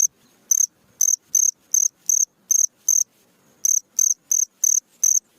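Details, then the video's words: Cricket heard at night, recorded for teaching birds: crisp, high-pitched chirps about two and a half per second, with one clear gap before the chirping resumes steadily. "SUARA JANGKRIK MERDU Di Malam hari"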